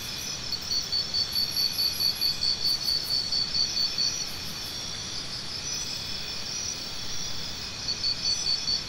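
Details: Cricket sounds: a shrill, pulsing insect chorus with a prominent caller repeating fast regular chirps at the start and again near the end, steady high buzzing throughout.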